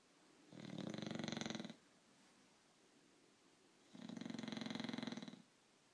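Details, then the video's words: A sleeping English Bulldog named Frog snores indoors. Two long, raspy, buzzing breaths about a second and a half each, separated by a quiet pause of roughly two seconds, with rich harmonic rattling through each snore. "English BullFROG Sleeping"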